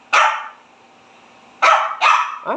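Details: Scolded Pekingese house dog talking back: a single sharp bark, a pause, then two quick barks followed by a short whining yelp, indoors and otherwise quiet.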